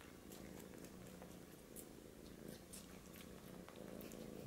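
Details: British Shorthair kitten trying to get milk from a Siamese male cat. A soft, steady, low purring rumble runs throughout, with faint scattered clicks and rustles above it.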